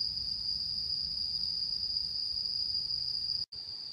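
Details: On the mid-autumn full-moon night of 10 September 2022, autumn insects keep up a piercing steady trill that cuts out briefly near the end, then resumes at the same pitch.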